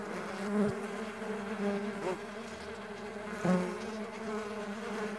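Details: Mandaçaia stingless bees buzzing in flight, a rich low drone with harmonic layers, brief louder swells and two short clicks as bees brush close.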